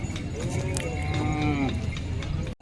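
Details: Working bullock pair of a farmer shown for sale at the Kamatha bullock market, Kalamnuri, Hingoli, Maharashtra, India; a rising-falling harmonic moo of about a second and a half amid crowd chatter and market noise.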